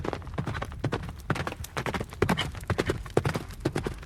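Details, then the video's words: Brief burst of a horse running, clustered hoof strikes in quick uneven groups, hollow knocking clip-clop with low thuds, louder in the middle seconds. "Horse Running Sound Effect"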